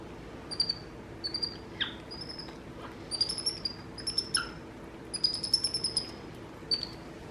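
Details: Two capuchin monkey brothers, MonkeyBoo and younger MonkeyHappy, kept as pets and chattering together: short, high whistled chirps repeated in quick clusters roughly every second, some sliding downward.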